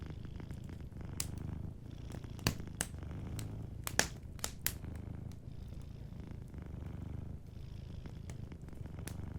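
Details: Cat sleeping and purring softly near a warm fire, its low rhythmic rumble constant underneath a cluster of sharp wood crackles in the middle and lighter pops elsewhere.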